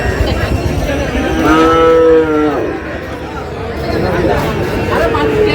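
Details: Bull calf at a Narsingdi cattle market in Bangladesh on 6 July gives one clear, tonal moo lasting about a second, rising slightly in pitch before breaking off, with crowd chatter and haggling voices all around.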